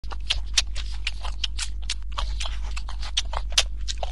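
A Flemish Giant rabbit chewing, with quick, dry crunching bursts over a steady low hum.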